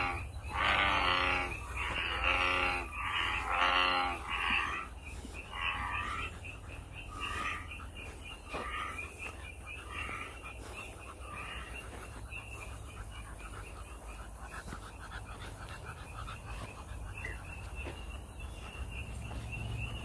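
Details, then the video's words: American bullfrog in a natural setting: several deep, grating croaks in quick succession at the start, then fading to quieter scattered notes, with a steady high insect drone throughout. "황소개구리, 우름, 소리"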